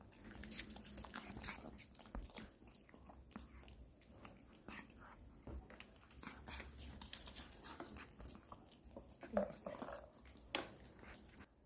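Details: A Pomeranian dog eating an apple indoors; irregular crisp crunching and biting clicks throughout, roughly one every second, with soft room noise and a brief faint voice near the end.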